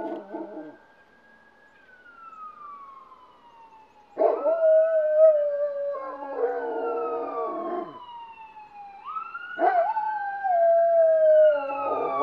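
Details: Several dogs howling after hearing a police siren from outside, having rushed outdoors toward the piercing sound; long wavering howls ride over a loud siren that sweeps up and slowly falls, with short bursts of barking between.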